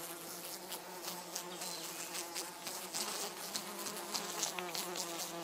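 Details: Three European hoverflies, a mating pair among them, buzzing with a steady low droning hum and faint harmonics, broken by scattered clicks and rustles.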